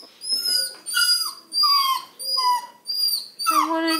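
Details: A Redbone Coonhound puppy, just woken from his nap, whines in high, drawn-out, falling notes because nobody is playing with him; he probably needs to go out to pee.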